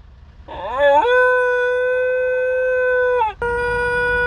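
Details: Young pet dog coming out of anaesthesia after neutering surgery gives a sustained howl: a quick upward slide into a long flat tone held over two seconds, a brief dip, then the note resumes.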